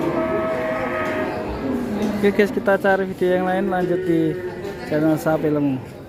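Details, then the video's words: Rampaging qurban sacrificial cow: a sustained harmonic moo that slides downward in pitch, followed by a stretch of shouting and excited talk from people nearby. "AWAS S4PI QURB4N NG4MUK BIKIN PANIK SEMUA ORANG GAES"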